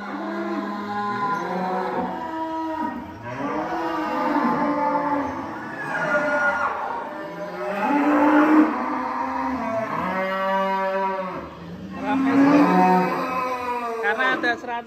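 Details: Farm cattle moo repeatedly: about five separate drawn-out calls over fifteen seconds, each one sliding slightly in pitch, loud and clear, some overlapping.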